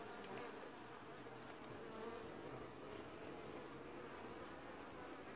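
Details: A honey bee colony washboarding at the hive entrance in an apiary, early July 2019; a steady, thick, unbroken buzz of many bees at a fairly even loudness throughout.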